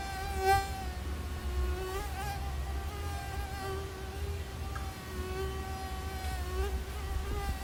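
A mosquito's thin, high whine wavers steadily in pitch over a low background rumble.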